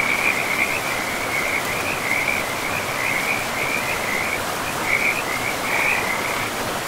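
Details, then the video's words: Chorus of frogs beside a river in untouched forest: rapid rattling pulses at a single high pitch, repeating in short runs with tiny pauses, backed by loud even rushing of water. "River and Frogs sleep sounds"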